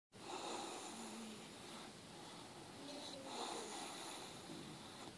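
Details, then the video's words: Loki, a Staffordshire terrier, asleep and filmed up close, snoring with soft, breathy, rasping noise that swells and fades in slow waves, heard indoors against a steady hiss. "Loki's snoring front close"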